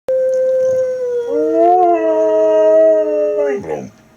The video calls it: Husky siberian howling odayin